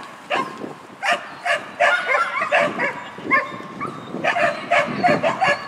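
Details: Sheltie Lesya barking at a tunnel dog-sport competition, 19.12.2015: sharp, excited yaps repeated irregularly, about one or two each second, over a constant background hubbub.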